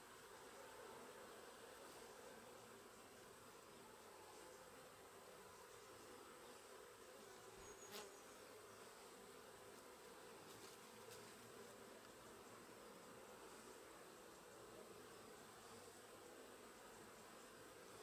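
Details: Sicilian honey bees at work, loaded with pollen, give a steady, low, continuous buzzing hum that stays even throughout, with a few faint clicks in the background.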